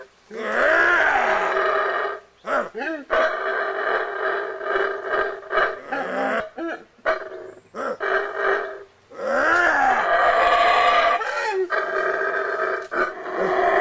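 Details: Wild howler monkeys in Belize, fed by a person nearby, giving loud, hoarse, harmonic roaring howls in bursts of one to two seconds, broken by short gaps and brief rising and falling grunts.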